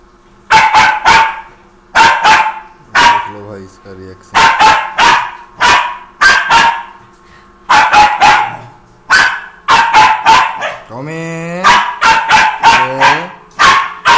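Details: A Pomeranian (Indian Spitz) puppy at play gives bright, yappy, sharp high-pitched barks in rapid clusters of two to four, with brief pauses and a person's voice between volleys.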